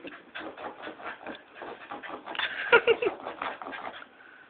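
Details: A domestic dog barking at lights gives rapid, rough, excited barks, several each second, swelling to a louder, sharper burst midway before easing off.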